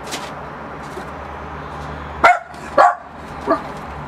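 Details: A Miniature Pinscher barks at a balloon, giving three sharp, high barks in quick succession over a low steady hum.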